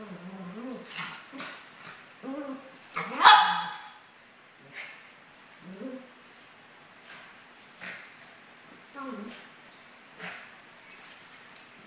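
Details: Two playing Maltese dogs, aged 17 months, trade brief whimpers, yips and short growls in scattered bursts, with one loud sharp bark early on and scuffling noise throughout.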